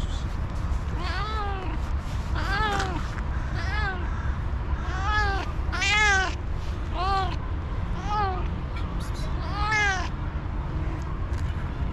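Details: Hungry ginger cat pleading for food: eight or so insistent, strongly harmonic meows arching up and down, evenly spaced about every one to one and a half seconds, against a low steady rumble.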